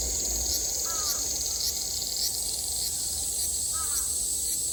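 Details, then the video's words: A Japanese summer cicada drone from 2022: a continuous shrill buzz with faint pulsing. Two soft crow caws stand out, about three seconds apart. "Sounds of the cicada [ Japan in summer ] セミの声"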